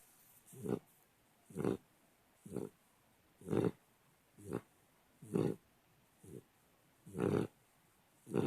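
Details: A 3-month-old pit bull puppy, adopted at eight weeks, snoring while asleep indoors: rhythmic rough snorting breaths, about eight in this stretch, each a short noisy burst with quiet gaps between.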